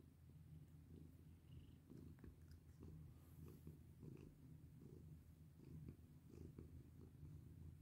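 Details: Purring from Bini, a domestic cat being petted: a deep, even, pulsing drone running the whole time, with soft rubbing and tapping sounds from the hand moving over its fur.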